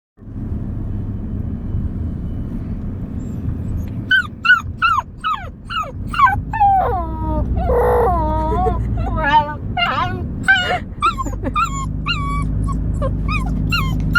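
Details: A Siberian Husky howls in bursts of bending, yodel-like notes that rise and fall over a low background hum.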